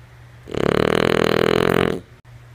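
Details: Lulu, a sleeping female French Bulldog, gives one drawn-out snore of about a second and a half, a coarse vibrating rattle with even pulses, followed by a small click against a faint hum.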